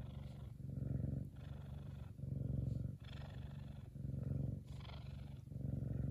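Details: Big F2 Savannah cat Kumba, happy, gives a loud, deep purr that pulses in strong waves about once a second, with occasional airy breath sounds between phases.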